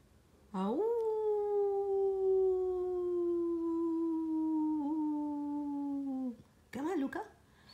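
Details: Pet dog aged one year seven months howling: a single long sustained tonal note that rises briefly, then slides slowly downward over about six seconds, ending abruptly, followed by a brief wavering vocal burst.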